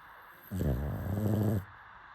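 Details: Deep, rumbling snore from a sleeping pug, a single rough inhalation about one second long, ending abruptly.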